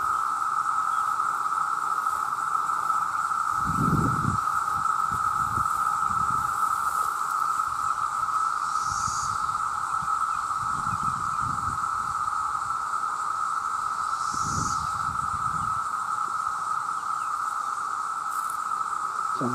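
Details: An enormous chorus of male cicadas calling to attract mates: a steady, piercing drone at one pitch, a soft high hiss above, and several brief low thuds scattered through.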